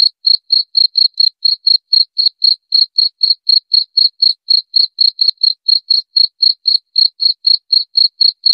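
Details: Cricket sounding a continuous run of brief shrill chirps at around four per second, regular and unbroken for the whole stretch, with no other sounds.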